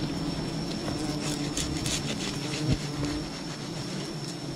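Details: Wild bee colony disturbed during honey hunting: a steady low droning hum with layered overtones, a thin high whine running throughout, and scattered crackling and knocking noises over the buzzing.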